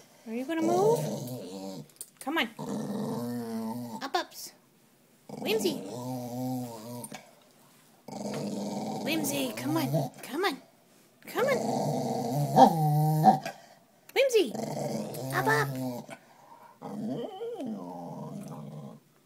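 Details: Spaniel mix dog refusing to go on his walk, growling in long, rough, low rumbling bursts of a few seconds each, separated by short silences, while a person repeatedly urges him to get up.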